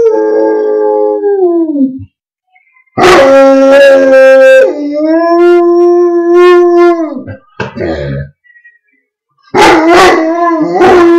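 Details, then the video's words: A pet Gordon Setter howling indoors: long, tuneful, sliding howls held for a second or more, some rising then falling, separated by short pauses, with a brief yip-like break near the middle. "George Howling"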